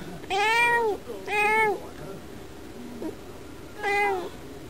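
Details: Pet cat indoors, meowing while watching birds through a window. Two long, rising-then-falling meows about a second apart, then a pause and a third similar meow. A faint short chirp sounds in between.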